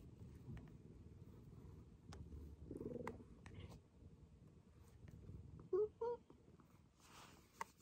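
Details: Rescued house cat Maroshiro, taken in in 2014 and moved to an upstairs cat room, acting like an affectionate kitten again; a soft continuous purr runs throughout, broken near the end by two short, bright mewing chirps, with faint indoor clicks.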